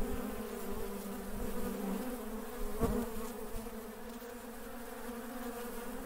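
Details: A dense hum of working honey bees, low and steady with stacked overtones, louder at the start and easing off, with a brief crackling burst near three seconds.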